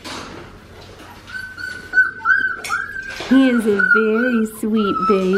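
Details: A litter of Australian Shepherd puppies whining: drawn-out, high, level cries at first, then louder wavering whimpers with a person talking over them in the second half.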